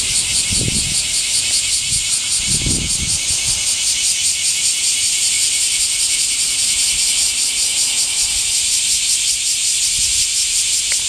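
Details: Cicadas singing in summer heat: a dense, unbroken, high-pitched shrill buzz with a fast pulsing throb that holds steady throughout, plus a few soft low thumps early on.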